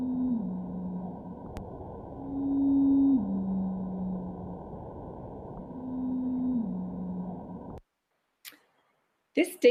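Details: Blue whale (Balaenoptera musculus) song: long, steady tonal moans that step down to a lower pitch, repeated several times. This illustrates how blue whale voices have dropped by the equivalent of three white piano keys in recent years.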